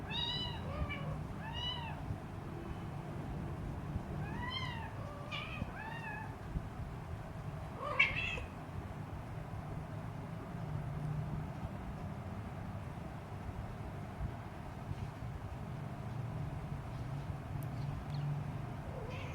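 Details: Three-week-old Siamese kitten, hungry and teasing its mother, meowing loudly: a quick run of high, arched, harmonic-rich mews in the first eight seconds, then near quiet with low hum and faint scattered clicks.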